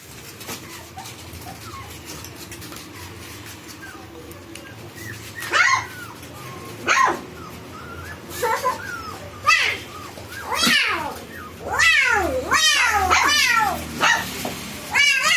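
Golden Retriever puppies whine and yelp in short, high-pitched bursts, each note sweeping up and then down. The cries come irregularly, several overlapping near the end, over a faint steady background hum.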